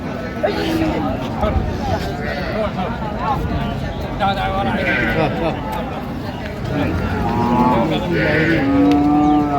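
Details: Sahiwal cows with calves at Raniganj cattle market, Dinajpur, 27 November 2025: busy market talk and haggling, with a flat, sustained lowing moo rising clear of the voices in the last second or so.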